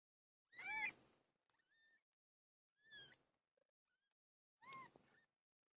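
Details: Pet cat named Pilo during birth, giving three separate high, strained cries about two seconds apart. The first is longest and wavering. Faint thin squeaky notes sound in the gaps.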